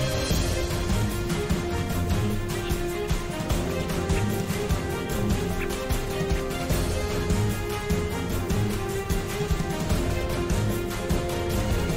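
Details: Only steady instrumental music plays throughout, with no animal voice heard. Sustained low tones and a regular beat fill the whole passage.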